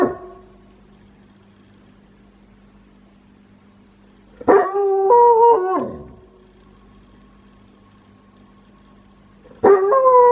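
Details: Pet wolfdog kept at home, giving an unusual, quirky howl: a short tonal wail that steps down in pitch around 4.5 seconds, then a second howl starting at the end, with a steady low hum between calls.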